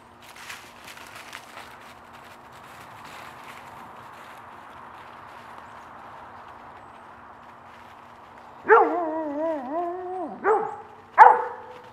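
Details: Dog playing in a raked leaf pile with another dog, rustling and footsteps in leaves for most of the time, then a loud drawn-out whining bark and two short sharp barks near the end.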